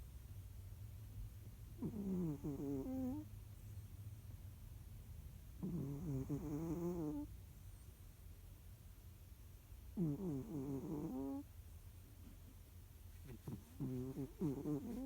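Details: Snoring of Jiji, a domestic cat, dozing indoors: four buzzy, wavering snores, each lasting over a second, repeating about every four seconds with quiet pauses between, low background hum throughout.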